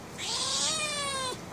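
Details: Angry female pet cat demanding to be let outside, giving one drawn-out, strained meow over a second long, rising slightly then falling at the close, with breathy noise at its start.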